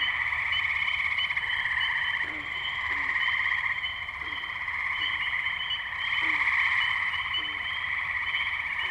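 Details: Wetland tree frogs in Firestone Park, Columbiana, Ohio, recorded May 6, 2023 on a Zoom H2n: an unbroken, rapidly pulsing trill chorus that swells louder near the end, with scattered short low calls interspersed.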